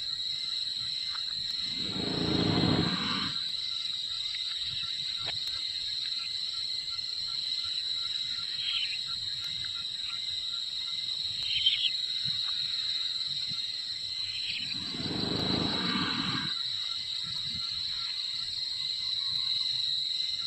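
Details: Wild Sumatran elephant snoring while asleep: two long, rough, rumbling breaths about thirteen seconds apart, each lasting over a second, over a constant high insect drone.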